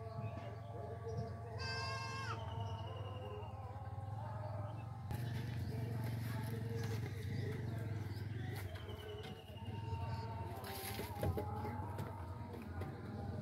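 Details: Young goat kids with a baby, one giving a short wavering, nasal bleat about two seconds in, amid human voices, low steady hum and rustling handling noises throughout.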